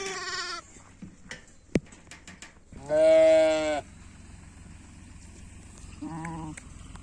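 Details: Sheep in the morning, kept alongside goats, giving one loud, strongly harmonic, wavering bleat of about a second, followed by a shorter, quieter bleat, with faint clicks and knocks around them.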